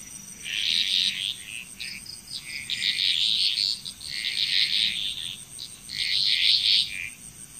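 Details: Frogs in Bali, Indonesia calling in a chorus, with bursts of high rasping croaks pulsing in waves about every second and a half, over a continuous high-pitched background hum.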